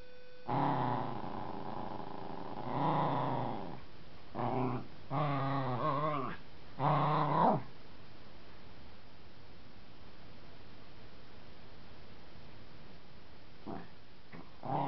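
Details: Pet dog playfully growling and barking while fighting a wooden baseball bat: several drawn-out, harmonic growl-barks with rising and falling pitch in the first eight seconds, then near silence with a few faint clicks.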